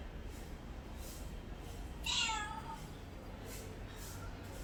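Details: Pet cat uttering a single drawn-out meow that slides downward in pitch, set against a quiet indoor background with faint hiss.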